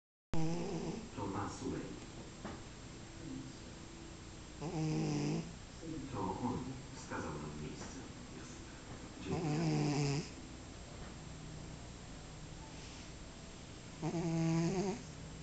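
A Maine Coon cat snores in slow, raspy breaths spaced several seconds apart.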